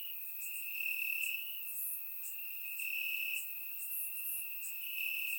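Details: Night chorus of crickets in summer grass, Bulgaria: a continuous shrill trill holding one high pitch, brightening in short bursts, with softer high-pitched buzzing from other insects above it.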